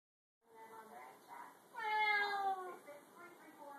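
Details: Bengal cat at home, meowing in a series of short harmonic calls followed by one longer, louder drawn-out meow that falls slightly in pitch, then softer trailing meows.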